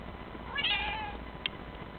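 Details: Male lynx point marble Bengal cat giving a single high, drawn-out meow lasting about half a second, followed by a brief click, recorded indoors with a steady low background hum.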